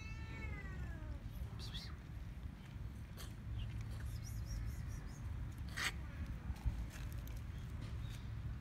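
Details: Cats and kittens mobbing people on Cat Island: a loud, wavering meow opens, followed by scattered clicks and taps and a low constant rumble, with faint distant voices.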